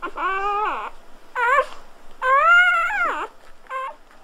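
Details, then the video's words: Squealing cries from newborn Golden Retriever puppies, likened to human babies or guinea pigs: sustained nasal whines with rich overtones, alternating long bent notes and brief chirps over about four seconds in a quiet room. "Birth of Golden Retriever Puppies with Orignal Sounds"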